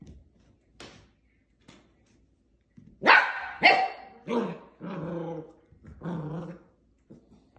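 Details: Portuguese Water Dog pup at play with plastic bottles, a few faint sounds, then a run of loud yapping barks from three seconds on, the later ones lower and growly with a rough buzzing tone.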